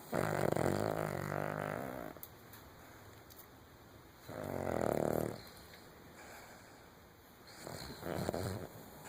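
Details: Cavalier King Charles Spaniel snoring in its sleep, three rough rasping snores each about a second or two long, separated by quiet pauses of roughly two seconds, recorded indoors.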